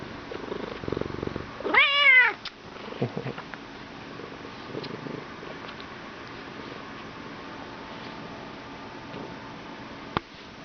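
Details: Bengal cat, talkative and being petted, lets out one loud arching meow early on, followed by a few soft short murmurs. A sharp click sounds near the end against a low indoor hum.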